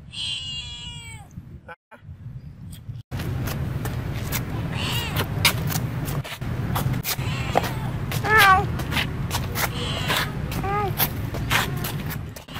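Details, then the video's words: Female domestic cat in Siem Reap, Cambodia, walking and following the camera while meowing; a clear, harmonic-rich meow opens the recording, then a noisy stretch with a low background hum and a few fainter meows later. "look this cat "Bopha" walk & meowing follow the camera"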